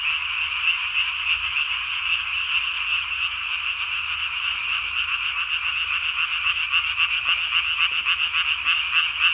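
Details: Night chorus of Japanese tree frogs, recorded 3 May 2020, each caller puffing its throat sac to body size; a steady, fast pulsing rattle fills the whole stretch without pause.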